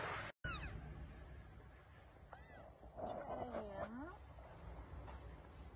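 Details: Domestic cat or kitten, one of the stray kittens and cats fed and rescued at a home, giving several short arched meows, each rising then falling, spaced over a few seconds, with a sharp click near the start and low background rumble.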